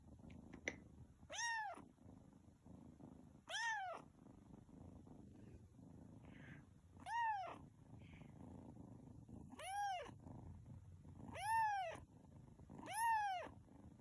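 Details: Tuxedo cat meowing indoors: six clear, harmonic meows that rise and fall, spaced roughly two seconds apart, in a quiet room.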